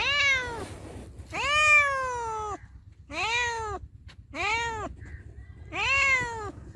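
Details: Cat or kitten giving five clear, harmonic meows in a row, each arching up then sliding down, some lasting over a second, with short pauses between and a soft low background hum.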